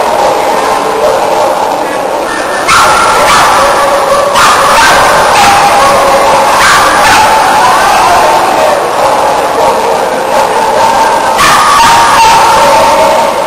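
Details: Sheltie from Brazil competing in team agility at A&C2008, Argentina, with no faults; repeated short, sharp barks cut through a loud crowd, voices and ringing tones throughout.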